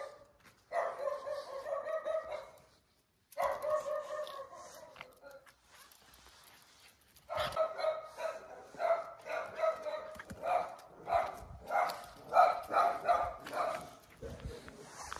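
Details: Jack Russell Terrier on a night walk, chasing a street cat: long, harmonic, whine-like barks, each lasting one to two seconds, then a fast run of excited, irregular barks through the second half.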